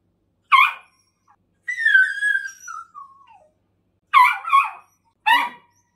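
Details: Lisa, a brown female Poodle in foster care, rescued with eighteen other poodles from an animal hoarder's apartment in Mapo-gu, anxious and clinging to dad: a long high whine sliding downward between short sharp yelps, indoors.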